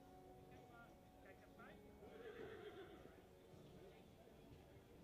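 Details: Horse at a breed show for foals and young horses, with colt and filly foal classes, held 14 September 2023. A brief falling whinny sits in the middle, beneath steady crowd murmur, voices and background music.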